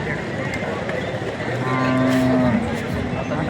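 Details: Cow mooing at the Vadod cattle market: one steady, low, droning moo of under a second rising from the midst of a busy market, with a constant background hum of crowd and vehicle noise.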